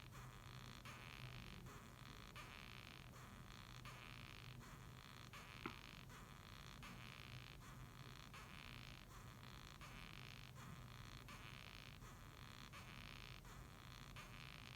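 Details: Steady rhythm of raspy squeaks from a Japanese rhinoceros beetle, "gyui gyui gyu gyu", pulsing about every 0.8 seconds for the whole stretch, with a low hum underneath and one brief tap.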